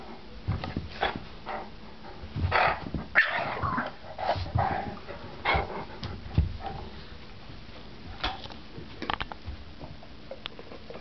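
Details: Pet Yorkie battling a Great Dane over a chew bone during a play fight with a person; scattered harsh bursts and brief growly noises over eleven seconds, mixed with scuffling and handling sounds.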